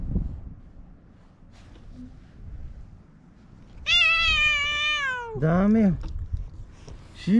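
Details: Stray cats in a park quarrelling in spring, a white cat picking a fight with an orange tabby: long drawn wailing yowl held for over a second, then a rising and falling moan, while a woman calls softly nearby.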